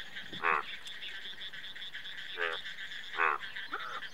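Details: Indian bullfrog giving four short, harmonic croaks spread over about four seconds, one each at roughly half a second, two and a half, three and a quarter and three and three-quarter seconds, over a steady high insect-like drone.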